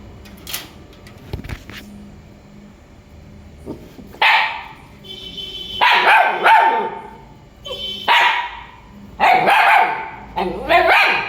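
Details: Faint knocks and clicks give way after four seconds to loud, rough dog barks, about six, some doubled, in an uneven rhythm.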